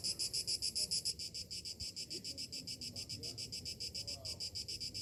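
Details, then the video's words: Morning summer cicadas pulse in a rapid, shrill throb, loudest during the first second and then settling into steady beats roughly three or four per second, with a faint low murmur beneath. "Morning summer cicadas sounds"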